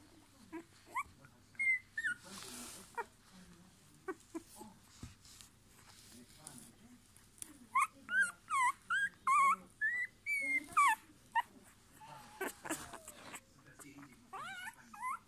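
Rottweiler puppies whimper and yelp in high, wavering, rising and falling whines, several overlapping.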